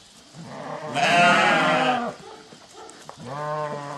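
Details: Farm sheep called by their farmer reply with a long, loud quavering bleat, followed after a short pause by another lower, steadier bleat from a second animal.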